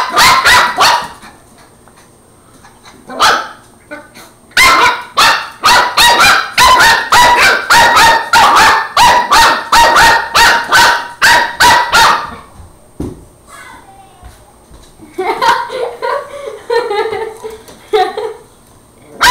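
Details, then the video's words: Angus, a young Border Terrier puppy, fights a broom indoors with a rapid run of sharp, high barks, nearly three per second for long stretches, then softer yips and growly whines, while a person talks and says no. "Border terrier puppy fights broom"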